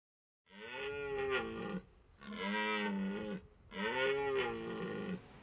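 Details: A red deer stag roars three times during the autumn rut at the end of September in Hohe Tauern National Park, Austria, long rich groaning bellows rising and falling in pitch, calling to attract hinds.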